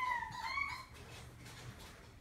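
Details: Dog in a pet shop giving a thin, high whine that dips and then rises over almost a second, followed by quiet room noise.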